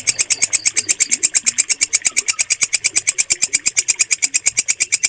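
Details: Walang kecek bush cricket calling in clear, strong, high-pitched rasping pulses repeated quickly and evenly, roughly seven per second, with a few faint background chirps.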